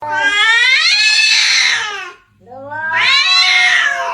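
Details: Domestic cat giving two long, loud, drawn-out wailing meows, each rising then falling with a strong harmonic stack, separated by a short silence.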